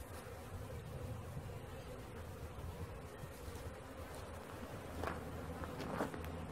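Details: Honey bee swarm being caught: a dense, steady low buzz of many bees hums without pause throughout, with two brief sharp knocks or clicks near the end.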